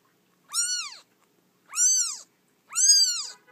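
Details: Three clear, high-pitched meows, each arching up and down, from an orphan kitten a few days old that was rescued from a feral cat colony; otherwise silent.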